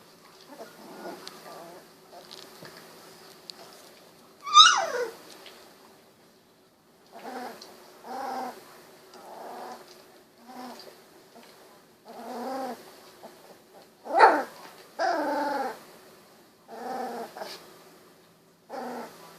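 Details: Golden Retriever puppies, sixteen days old with eyes recently opened, give a long series of short harmonic whines and squeals, roughly one every second, with one louder rising-and-falling squeal near the start and another later.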